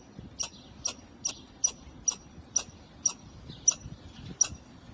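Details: Squirrel perched on a wall calling: nine crisp, high-pitched chips spaced about half a second apart, steady and evenly timed over faint background hum.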